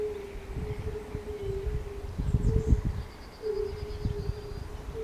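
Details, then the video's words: Pond chorus at the palace in Bukowiec near Jelenia Góra, Western Sudetes, 20 May 2019: fire-bellied toads keep up a continuous low hooting drone with brief gaps. Rumbling low-pitched noise swells midway, and a faint distant bird calls. "Koncert żab i kumaków"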